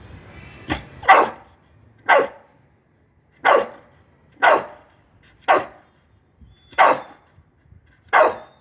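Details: Pit bull dog barking during obedience training on voice commands: seven loud, sharp barks, each short and harsh, spaced about one to one and a half seconds apart with quiet gaps between them.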